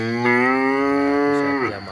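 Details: Cattle offered for the Eid al-Adha sacrifice, animals being fattened for sale: one long, steady, harmonic-rich moo lasting about a second and a half, level in pitch and then dropping away abruptly at the end, with a faint background hum.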